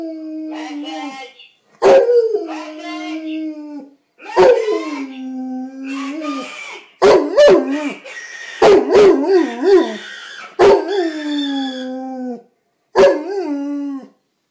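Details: Dog named Kipper howling along to a phone ringing, a series of long drawn-out howls, some steady and some wavering, separated by short gaps and sharp clicking sounds, the notes falling gently at their ends.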